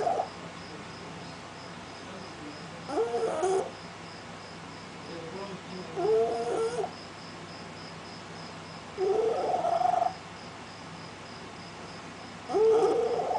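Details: Voiceless cat unable to produce a proper meow, arriving at a house door at night. It gives four brief, rough, croaky cries spaced about three seconds apart over steady low background noise.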